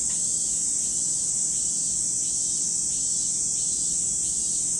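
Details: Steady shrill cicada chorus at Lake Kamo, Sado City, Niigata Prefecture, Japan, an even high hiss-like buzz throughout with faint brief lower accents every second or so.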